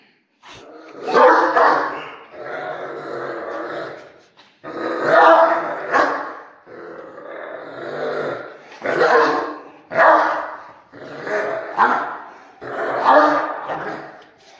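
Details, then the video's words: Angry Doberman dog alternating long, rough growling snarls with barks, about six drawn-out aggressive bursts separated by short pauses, with some low rumbling between them. "Doberman Dog Barking Sound Effect (Part 3 - Doberman Angry)"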